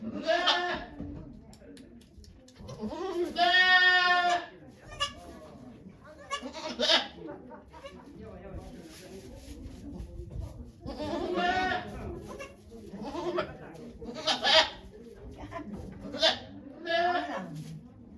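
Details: Goat named Okayu giving birth to two kids at Yoshigake farm, Japan, 3 May 2023, watched by many volunteers; loud harmonic bleats around three to four seconds and near eleven and fourteen seconds, with human voices talking throughout.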